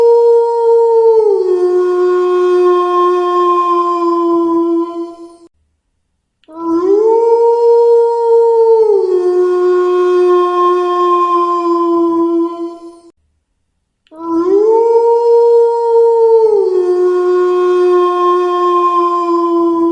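A wolf gives three long, steady howls that start high, drop, and hold a lower note.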